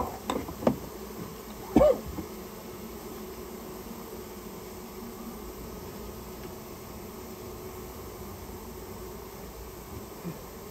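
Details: Japanese honey bee colony that built its nest in a private storehouse, heard during removal: a continuous low droning hum, broken early by a few sharp knocks and one short squeaky sound.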